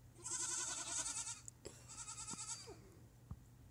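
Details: Herd goats, females, bleating for grain: a long trembling bleat over a second long, then a shorter wavering bleat, followed by faint clicks and hum.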